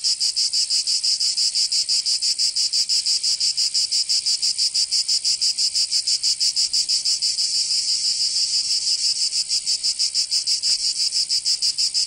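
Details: Cicadas of Provence, southern France, singing in summer; a piercing, continuous metallic buzz with a steady rapid pulse around three beats per second, unchanging over the clip.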